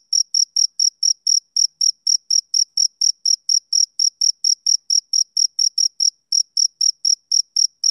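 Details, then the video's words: Male cricket chirping on a summer evening: a steady series of short, shrill, high-pitched chirps, about four each second, broken by one brief pause near the six-second mark, with no other sounds. "Cricket Chirping Sound Effect"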